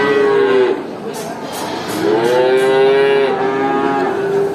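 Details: Cows at a traditional animal market: a loud steady moo, a pause with faint clatter, then a long rising moo that holds level for over two seconds, another cow joining.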